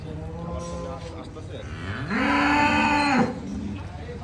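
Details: A bull or cow at Dhaka Agro, Bangladesh, ahead of Qurbani Eid; a low rising call swells into one loud, even moo lasting about a second, then cuts off, over steady barn hum.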